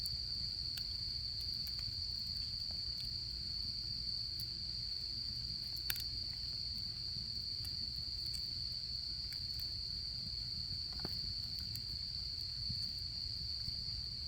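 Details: Campfire in autumn with insects calling: an even, shrill, sustained trill dominates the whole stretch, while frequent clicks and louder pops from the burning fire punctuate it over a faint low rumble.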